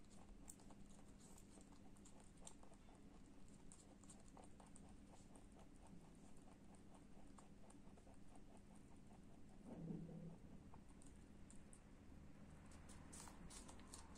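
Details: A lop rabbit (Oryctolagus cuniculus) chews an apple with quick, soft, crunchy clicks repeated several times a second.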